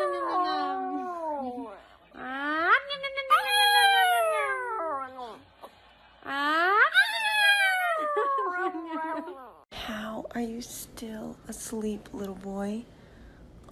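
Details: Dogs playing and having fun: long, drawn-out whining howls that slide downward in pitch, each lasting about two seconds, then a quick run of short, rising yelps. A person's voice is heard alongside.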